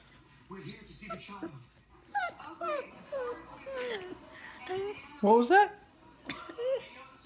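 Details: A female Vizsla, overjoyed at getting kisses from her owner, gives a run of high, bending whines and yelps that swoop up and down.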